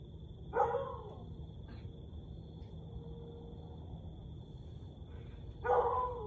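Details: At 1:49 am on 30 May 2021, a Siberian Husky gives two short, falling, mid-pitched howling yelps several seconds apart, over a steady electrical whine.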